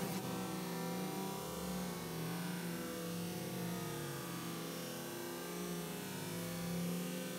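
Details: A steady, low droning hum of many honey bees buzzing together as they settle into their new hive at a school.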